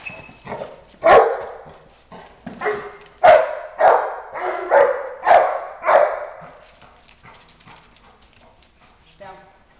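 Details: Female Boerboel in Schutzhund training, barking in agitation before the escape bite; a series of about eight deep, loud barks roughly every half second, then quieter panting and faint voices.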